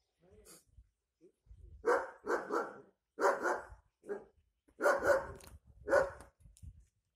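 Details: A German Shepherd, described as attacking men, barks in loud, harsh bursts, some doubled, in an uneven series.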